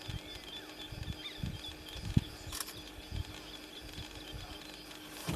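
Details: A female leopard in the Serengeti gives deep, coarse, rasping grunts in a steady rhythmic series, like wood being sawn, while calling and looking around; faint rustle and an occasional click sit underneath.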